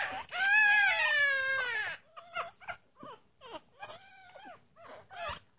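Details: Tiny Chihuahua pup from a litter of six howls: a long, high, wavering wail lasting over a second. Then come a string of shorter, rising-and-falling whimpers and yelps, with other pups faintly joining in.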